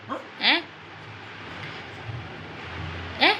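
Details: Pet dog that keeps crying after eating its food: two brief, rising, whiny yelps about three seconds apart, over a steady low background hum.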